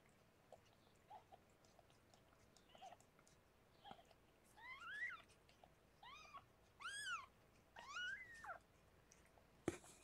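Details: Rescued pregnant cat Harlequin, a foster in an indoor room, giving birth to six kittens; a run of thin, high mews, each rising then falling in pitch, come in quick bursts, with soft rustling and a sharp knock at the end.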